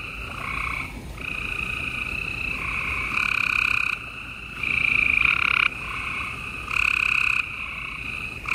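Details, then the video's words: A nighttime spring chorus of gray treefrogs in Houston, Texas, April 28, 2020. A steady background of trilling frogs is overlaid by louder, closer trills of about one second each, starting and stopping abruptly. "Gray Tree Frogs Chorus"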